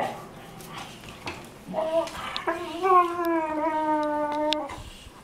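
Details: Weimaraner sisters Jila and Faith from Cyprus during a morning play fight on their bed; a short yelp rises into a steady, drawn-out whining howl held about two seconds, then breaks off amid indoor shuffling.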